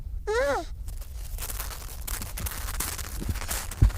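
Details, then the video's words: Baby seal waddling up to the camera gives one short, wavering, nasal cry with rich harmonics, rising then falling in under half a second, followed by low rumbling wind and faint scuffing. "Cute Baby Seal Come To Camera and Tries to Talk Making Beautiful Noises!"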